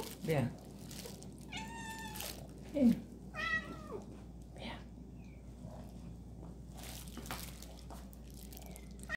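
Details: Kittens called in to eat: two drawn-out, tonal meows several seconds apart, mixed with a person's coaxing speech and soft household noises.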